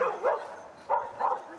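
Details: Schapendoes dog at agility training: two pairs of short, sharp barks about a second apart, each a quick double burst, with a quiet background between them.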